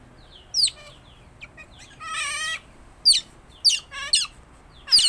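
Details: Tame pet otter with a shrill, funny-sounding voice: quick high squeaks separated by pauses, one sustained buzzy whine in the middle, then several sharp falling chirps in close succession.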